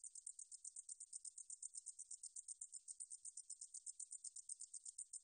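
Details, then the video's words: High-pitched insect song of a meadow katydid, recorded in 2020 for the National Institute of Biological Resources: a steady stream of fast, sharp, ticking pulses forming a hissing buzz with no pause, over quiet surroundings. "등줄어리쌕쌔기, 여러번 듣기, 곤충소리"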